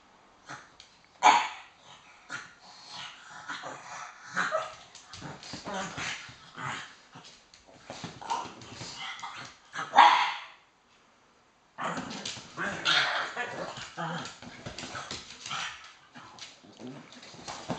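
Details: Pug Floyd, made very cross as Teddy holds the high ground of the sofa in a playful 'King of the Sofa' tussle indoors; sharp yips and barks mixed with growly grunts and snorts, a brief silence midway, then renewed grumbling.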